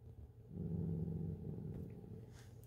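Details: Dachshund named Mocha hoarding found chips indoors, giving a low, rumbling growl that swells after half a second and holds steady for about a second before fading into room hum.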